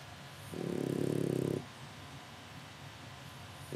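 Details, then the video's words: Sleeping French Bulldog puppy in Japan: one loud, low rattling snore lasting about a second, then quiet, with the start of the next snore at the end. "いびきをかきながら爆睡する子犬のフレンチブルドッグ。French bulldog of a puppy sleeping while snoreing"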